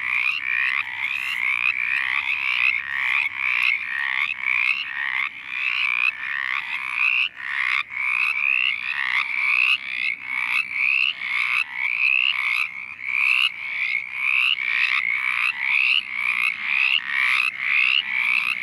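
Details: Mountain chorus frogs (Pseudacris brachyphona) calling in a dense chorus of short, raspy, rising trills near two kilohertz, in a Virginia forest where they breed in small water-holding areas such as road ruts.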